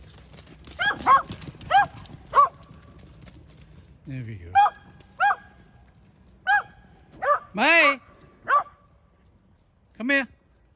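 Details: Whippet indoors giving a run of high, sharp yelping barks, several in quick bursts, while a person's voice calls a dog's name and urges it to come here.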